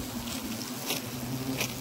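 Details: Wasps buzzing around a disturbed nest hidden in a tree trunk used as a pot stand at Le Vaudreuil in early November; a low, steady hum with faint clicks and light patter over it.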